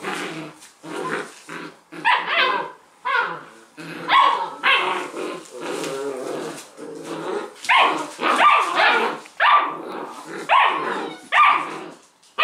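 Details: Six-week-old Leonberger puppies, thirteen in the litter, playing tug of war with a toy while littermates cheer: bursts of high, yappy barks and squeaky yelps, irregular and overlapping, broken by brief pauses.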